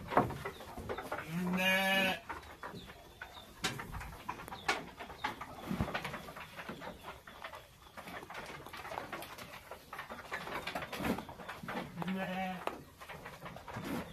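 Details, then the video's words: Texel and Merino sheep kept as farmed livestock: two loud, harmonic, wavering bleats, one near the start and one near the end, each about half a second to a second long, over steady clattering, knocking and shuffling pen noises. "DOMBA TEXEL & MERINO"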